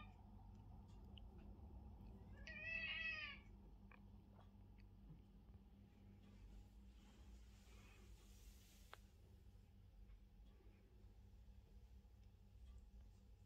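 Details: House cat demanding to be petted gives one clear, drawn-out meow that rises and then falls, lasting under a second. Soft indoor hum and faint rustles fill the long quiet afterwards.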